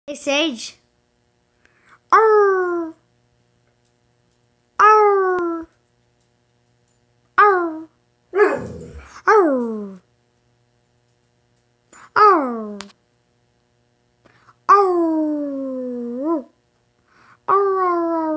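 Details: A pet dog 'talking': a series of about eight loud, drawn-out, moaning yowls, each sliding downward in pitch with rich harmonics, some rising again at the end, separated by short silences in a quiet indoor room.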